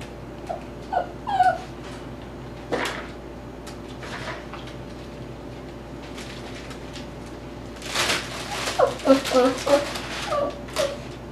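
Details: Dhali, an 8-week Tibetan Terrier puppy at play in an indoor x-pen with chew toys, lets out brief high whines early on and a run of yipping whimpers near the end, with knocking toy noises and a human voice.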